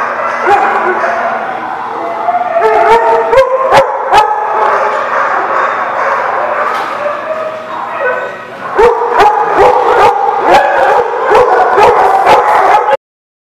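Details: Several dogs barking at a lot in a dense, continuous chorus of sharp barks and yips. The barking dips briefly midway, then returns in a rapid run of loud, punchy barks before cutting off abruptly.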